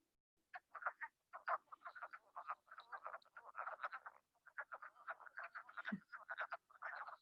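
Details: A spring chorus of explosively breeding wood frogs in Chicago-area pools, often hundreds together, gives short clucking calls like quacking little ducks, overlapping in quick succession.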